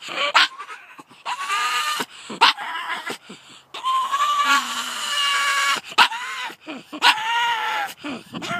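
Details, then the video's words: Pug Layla barking at two terriers coming down the drive, mixing brief hard barks with sustained nasal whining cries that arch upward and fall away, repeated every second or so. "Pug making weird noises"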